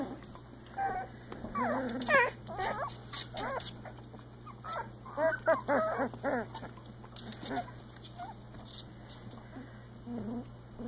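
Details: Playing Icelandic Sheepdog puppies, three weeks old, making a busy run of squeaky whimpers and little yips, clustered in bursts with brief pauses, plus faint rustling.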